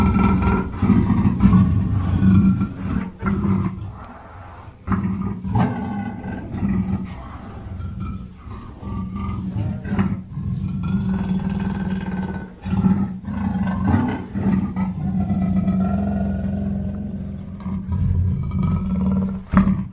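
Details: Black panther growling continuously, a low harsh rumble that swells and fades with breaths every few seconds, thin higher whining tones drifting over it and several sharp clicks.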